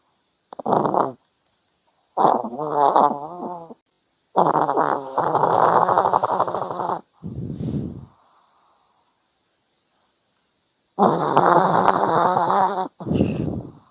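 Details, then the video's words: Snoring from a sleeping dog comes in irregular bursts: buzzy, rattling inhales, some long and growl-like, alternate with short airy exhales. Quiet pauses separate the bursts, and nothing else is audible. "강아지 코골이"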